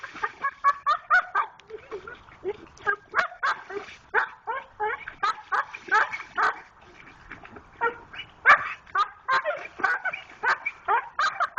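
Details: Pit Bull dog digging for a rock in a creek makes funny noises: a rapid series of short, strained whines and grunting yelps, repeated several times per second with brief pauses.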